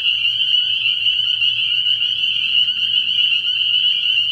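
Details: Dense night chorus of spring peepers at a frog pond early in the year, countless high piping notes merging into one continuous shrill band, with a faint low steady hum underneath.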